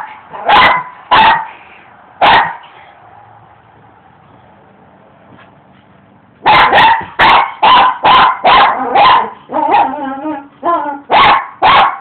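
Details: Pet dog barking and attacking rocks in a yard during outdoor work; three barks, a quiet pause of about four seconds, then a rapid burst of many barks mixed with higher yelping sounds.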